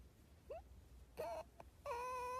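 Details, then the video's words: Pet fox letting out a short rising yelp, then a brief wavering note and a sustained steady whine with strong overtones. "fox pet funny Videos"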